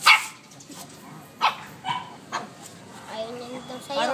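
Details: Shih Tzus Macky and Hershey vocalizing back and forth as if talking: sharp single barks at the start and near the middle, a few softer yelps, then a wavering high whine toward the end, with a person's voice in the background.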